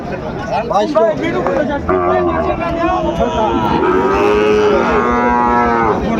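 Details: Sahiwal bull calf at the start of trading at Ambari cattle market, Dinajpur, Bangladesh, 18 November 2024; a drawn-out, wavering moo in the second half, with men talking and haggling before it and market crowd noise throughout.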